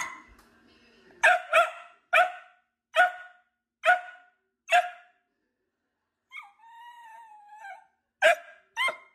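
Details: Playful dachshunds barking: a run of seven sharp, bright barks at a steady pace, then a thin wavering whine, then two more quick barks, with a man's voice briefly at the start.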